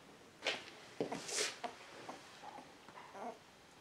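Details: Two-week-old beagle puppies from a litter born on 19 February 2016 give brief high squeaks and whimpering cries indoors, several short yelps across four seconds with soft rustling between them.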